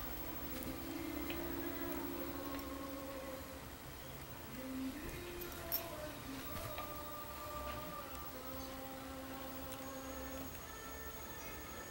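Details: Indoors, quiet sustained music tones hover over a low room hiss, with a faint click near the middle and no animal calls.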